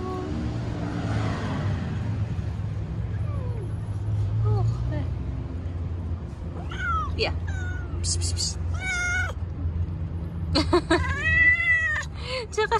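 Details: Stray street cats and kittens being petted and fed outdoors; after a low rumbling background, several short rising-falling meows arrive in the second half, growing louder and more insistent toward the end.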